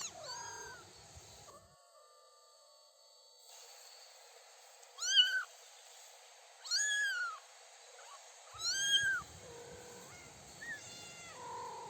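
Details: Three-week-old kittens with their mother on grass with daisies, taking first steps outside; high arched kitten meows come about every two seconds in the second half, with a quiet stretch earlier.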